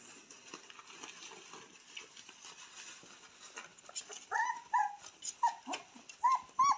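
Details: Purebred Cane Corso puppies, raised in the house and born 18 October 2022, start whimpering after a few quiet seconds of faint rustling: short high whines with a slight downward bend, repeated about every half second.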